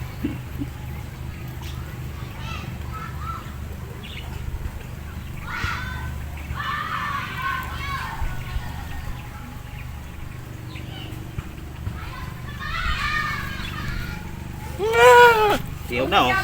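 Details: Mother goat still recovering after giving birth, tended during a home service visit; one loud, wavering, harmonic bleat rises near the end, after stretches of people talking and low background hum.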